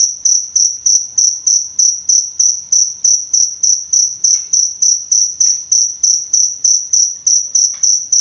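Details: Steady cricket chirps used as a training sound for songbirds, shrill and high, pulsing evenly around three times a second with a short fading tail on each, over a quiet background with a few soft ticks.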